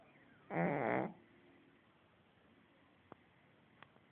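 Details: Heavily snoring dog in sleep gives a short, coarse, rattling snore of about half a second, followed by quiet with a few faint clicks.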